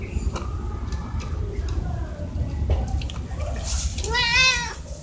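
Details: Domestic cats being fed in the morning, given a test of whether they can open a lidless container; a clear rising-falling harmonic meow near the end, with faint earlier mewing, low background rumble and knocks.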